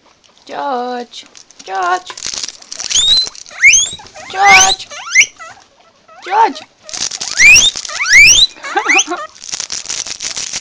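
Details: Guinea pigs, filmed on an Android phone, giving loud harmonic whistles that sweep sharply upward, repeated about every second, between lower buzzy notes and some rustling of bedding.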